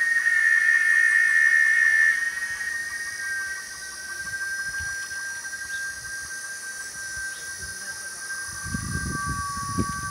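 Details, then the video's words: A cicada singing: a loud, steady, whistle-like tone, strongest in the first two seconds, then continuing slightly softer and stepping down in pitch, with a faint rapid pulsing beneath and low thumps near the end. "O canto da cigarra."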